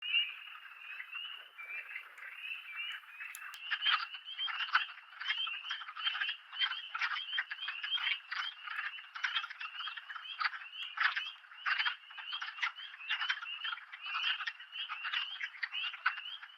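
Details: A dense chorus of male wood frogs gives rapid, duck-like clucking calls at an early-calling wetland near Keene, Essex County, in New York's Adirondacks on 4 April 2025, in spring.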